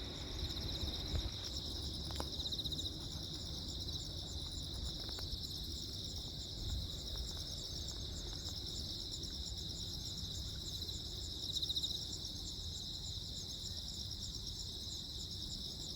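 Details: Crickets on Jeju Island, South Korea, on 15 August 2024 during a lightning storm: a steady, high, shimmering chorus of fast pulsed chirps runs throughout, over low rumbling noise with a few brief crackles near the start.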